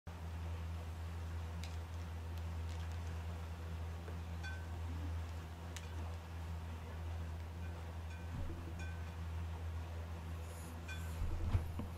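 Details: A steady low hum fills a small indoor room, with faint scattered chime-like ticks and light rustling, and a few brief clicks near the end.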